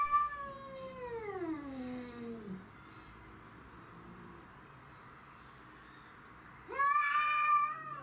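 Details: Domestic shorthair cats Tom, Mimi and a neighbourhood stray fighting over territory: a long yowl sliding steadily downward, quiet low grumbling, then a sudden loud harsh wail near the end.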